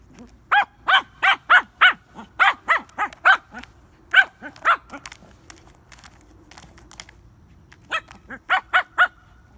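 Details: A Shih Tzu gives quick bursts of high, sharp yaps, several in a row, then a pause, while trying to get the upper paw on a frisbee.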